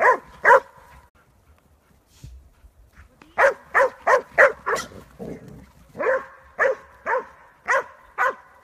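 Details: A Catahoula Leopard Dog bays at hogs in loud, rough barks repeated in quick bursts with brief pauses, during bay-dog training in the Elmira Fenced Woods area.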